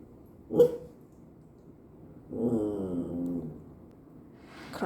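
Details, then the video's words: A pet dog voicing an odd sound indoors while its owners eat, told to wait and praised for waiting: a sudden short sharp noise, then a long moaning whine sliding gently downward for about a second, with brief human voice at the end. "우리끼리 먹을때 이상한 소리 내는 강아지"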